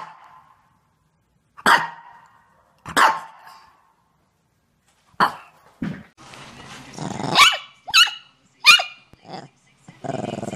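A Shih Tzu gives sharp, high barks, spaced unevenly, with a person talking between them.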